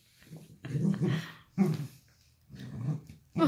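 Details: Dachshund growling while playing with an octopus indoors; low rumbling growls in three bursts of about half a second to a second each, separated by short pauses, with a brief sharper sound at the end.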